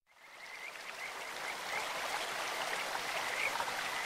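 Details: Kajika frogs calling in a clear stream: short, high whistled chirps in scattered bursts over a steady rush of flowing water that swells in as the sound begins.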